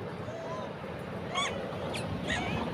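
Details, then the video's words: Southern pig-tailed macaque giving a few short harmonic calls with rising and falling pitch, spaced about half a second apart, over steady low background rumble. "babanya beruk"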